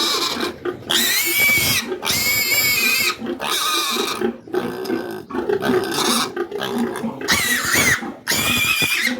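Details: Sow just after farrowing under farm care: long, shrill, piercing squeals, each lasting about a second, come in five or six bursts with rasping, noisy texture and brief pauses between, in a small indoor space.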